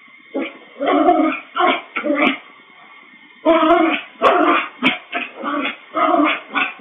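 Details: Bichon Frise recorded indoors by a pet camera with a built-in microphone; bursts of sharp, mid-pitched barks in quick runs of two or three, a short pause near the middle, then more barks, slightly clipped and tinny.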